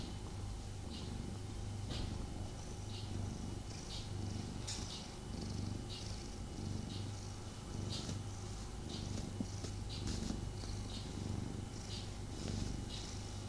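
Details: Male domestic cat purring while snuggling with its owner, a little restless. Steady low rumbling purr throughout, with brief soft rustling and fur-brushing noises scattered over it.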